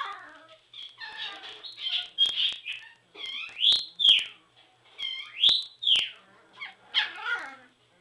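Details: Border Collie puppies, three weeks old, squabble in a whelping box: loud, arching high-pitched whines rise and fall in quick succession, roughly every second, some cries overlapping one another.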